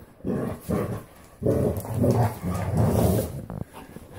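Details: Playing Standard Poodles, a group of three breeding females plus Onyx, give throaty low growls in several bursts, each lasting about half a second to a second, separated by brief quieter gaps.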